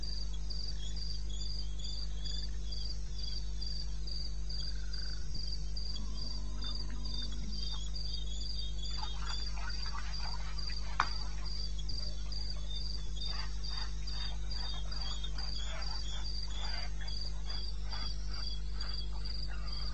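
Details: Cricket chirping steadily through a night in the eastern Botswana wilderness, 21 May 2016 at 02:30, while a low tone and a spell of crackling clicks from other creatures join midway over a deep hum.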